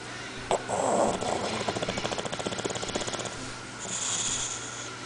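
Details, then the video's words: Fusca, a pet Bulldog, sleeping and snoring: a fast, rattling snort pulses in quick regular beats for about two seconds, then gives way to softer hissing breath. "Bulldog Roncando / Bulldog Snoring"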